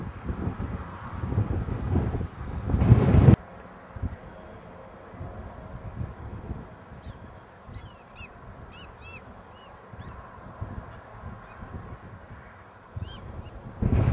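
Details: Prairie dog town in eastern Montana, August 21, 2007: after a loud gust of wind, a quiet series of short, high, downward-sliding chirps is repeated several times, followed by one more chirp and a final burst of wind.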